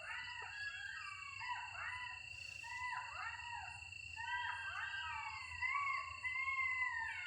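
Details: Several golden jackals howl together at night in a village, heard while walking, giving overlapping, wavering wails that rise and fall.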